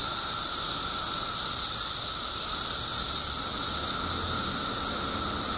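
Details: Illinois periodical cicada emergence after 17 years below ground: an unbroken chorus of high sizzling hiss and a steady mid-pitched whine, loud and level from start to finish.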